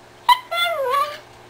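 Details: Female pet Chihuahua trained to 'say' I love you indoors: a short yelp followed by a long sliding, whining vocalization that dips in pitch and then lifts, like imitated speech, in a quiet room.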